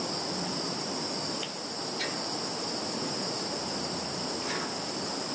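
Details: Insects in a Russian field, Zhukovsky district, Kaluga region, 11 September 2019: a constant piercing high drone in two layers, with three brief chirp-like ticks scattered over a few seconds and soft low rumble underneath.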